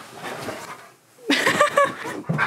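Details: Key, a pet Siberian Husky, talks indoors to push for playtime: after a quiet pause, a burst of wavering, moaning yodel-like sounds rising and falling, in a short run with a brief break before a final note.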